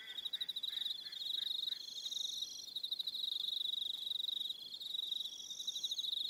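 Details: Crickets in the New Zealand evening on Aroha Island keep up a high, throbbing trill chorus; a few lower, evenly spaced chirps sound near the start, then the steady ringing pulses continue alone.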